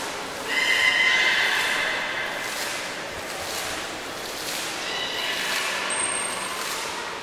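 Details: Beluga at Port of Nagoya Public Aquarium, 11 August 2018, while Nana and Hodoi were being shifted between pools without success; one loud harmonic squeal near the start, then fainter buzzy tones and a thin high whistle late.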